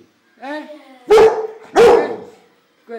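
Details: Pit Bull puppy fighting with a bunch of flowers, indoors: a short whining yelp, then two loud, harsh barks about 0.7 seconds apart, and a brief whine at the end.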